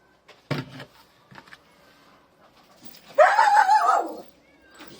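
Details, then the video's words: Domestic cat heard meowing from somewhere off to one side of a farm, live: a single drawn-out, wavering meow lasting about a second, preceded by a few soft knocks and faint movement in an otherwise quiet setting. "bak bak bak bak o taraftan bir yerden kedi sesi geliyor"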